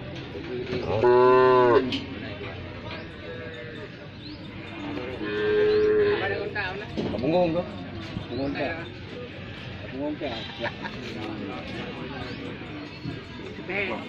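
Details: Injured cow with a leg broken after being hit by a car, in severe pain and struggling to rise once lying down, gives a loud drawn-out harmonic moo, then a second long moo, amid murmuring human voices.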